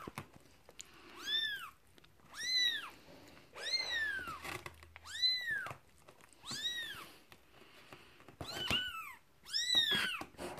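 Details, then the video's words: Newborn kitten only a day old calling for its mother, seven high-pitched arched squeals repeated roughly every one and a half seconds, each a quick rise and fall, some ending with a sharp break, quiet room background. "Newborn kitten squeals for mum!"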